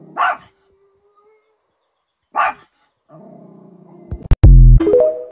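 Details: A Pomeranian barking at the TV gives two sharp, high barks about two seconds apart, then television sound and music take over.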